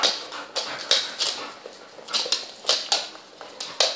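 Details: Young puppies, twelve in all, at play with their mother dog; sharp, thin squeals and yips pop out every fraction of a second, each brief and bright, over a soft rustling background.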